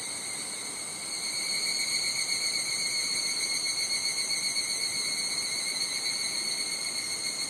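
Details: Japanese summer higurashi cicada chorus at Nishigō village, Fukushima: quieter for the first second, then a louder, bright, high ringing shrill that holds steady with slight flutter to the end.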